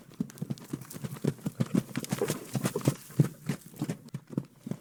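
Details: A farm horse's hooves strike the ground in a quick, uneven clip-clop, about three beats a second.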